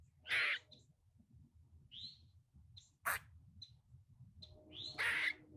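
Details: A squirrel sitting in a tree gives harsh, raspy screams, roughly "kuk kuk kuk – quaa", with softer squeaky chirps between them.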